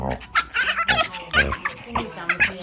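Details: Pug play fighting with a boxer dog indoors, making rapid bursts of rough, snorting grunts and throaty yips in quick irregular succession, with a person speaking briefly.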